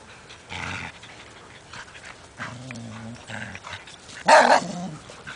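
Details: Group of dogs at play in a yard, including a pit bull, a poodle, a lab/golden mix and an Aussie; low rumbling growls are followed by a single loud, harsh bark, with rustling movement throughout.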